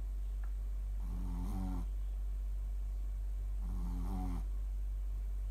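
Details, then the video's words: Snoring Shih Tzu, Mylly, fast asleep; a pair of buzzy, vibrating snore breaths lasting under a second each, about three seconds apart, with a faint brief click before the first and a low constant hum. "Mylly snores shih tzu シーズー"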